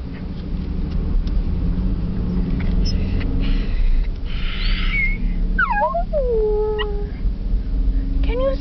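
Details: Chihuahua named Dolly, excited about going to doggie school, gives a few high wavering whines and slides late on, over a loud low rumble of a moving car and a person's voice.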